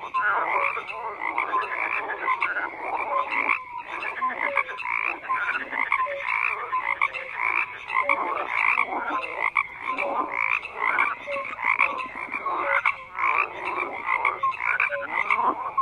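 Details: Many frogs croak together in a loud, continuous mass of harsh, buzzy calls, with short tonal notes popping out now and then and no quiet gaps.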